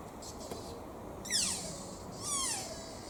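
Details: Squeaky-shoe-like calls of a deer at Toyama Municipal Family Park, Japan: two shrill squeals about a second apart, each starting with a noisy high burst and gliding down in pitch, over a low background hiss.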